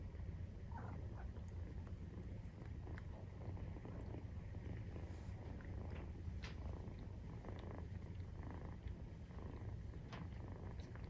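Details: Continuous deep purring from a nursing Maine Coon kitten aged 43 days, a low droning pulse with faint scattered clicks and small rustles on top.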